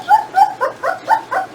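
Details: Jindo dog, from a parent-and-puppy litter weighed at eighteen days after birth, giving six short high whimpering squeaks in steady succession, each a thin tonal note with a slight bend, evenly spaced, in a quiet room.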